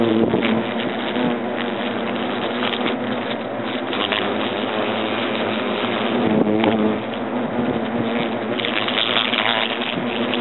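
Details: European hornets at a nest inside an oak trunk in Agen, France, as the nest is being destroyed; a dense, steady droning buzz of many insects under a broad rushing noise, with a brief louder surge midway.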